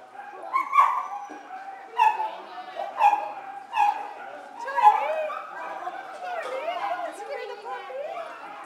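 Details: Poodle barking at the 2nd Coastal Poodle Picnic reunion, K9 Kampus, July 2011: five sharp, loud barks spaced about a second apart in the first five seconds, then higher yips and whines over people chatting.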